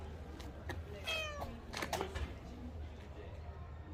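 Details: Rolls, a Korean shorthair street cat met in autumn along the Gyeongchun Line Forest Trail in Gongneung-dong, utters a clear meow followed by a shorter second call, with soft human voices and low urban rumble behind.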